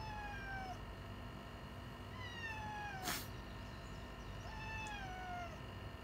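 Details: A 'fugyaaa' screech rouses retired boss cat Yongo, also called Kuro, who once ruled a residential neighbourhood and now lives in home care. Three long, descending, harmonic wails come about two seconds apart, with a sharp click between them.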